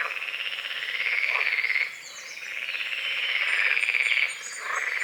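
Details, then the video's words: Morning frogs calling over a misty small lake beside the forest, among calamus and water lilies; two long, rattling trilled croaks of almost two seconds each, split by a short quieter gap, with light bird chirps above. "The sounds of morning frogs croaking"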